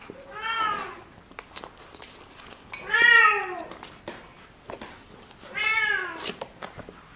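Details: Kitten meowing in a quiet indoor space: three drawn-out meows, each rising then falling, spaced roughly two and a half seconds apart, with faint clicks and rustles between them.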